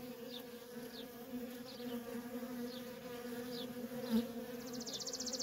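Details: Feral colony of honey bees with nonstop worker traffic: a steady low buzzing hum underneath, with faint short falling chirps from a bird repeated about every second and a brief pulsing insect trill at the end.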